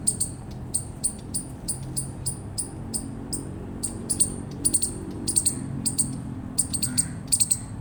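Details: Bright, piercing chips from an eastern chipmunk come in a steady stream, bunching into tight doubles and triples toward the end, over a low hum.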